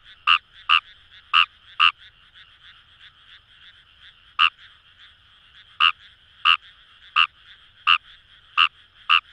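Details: Numagaeru frog, Fejervarya kawamurai, recorded in rice paddies by the Kamo River in Itoshima, Fukuoka: bright clipped croaks in quick pairs and irregular runs with a pause midway, over a steady buzzing frog chorus.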